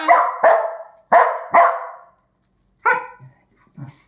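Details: Pet dachshund, one of two dogs named Kiko and Choco, barks sharply four times in quick succession, pauses, then gives a single bark and a faint soft yip.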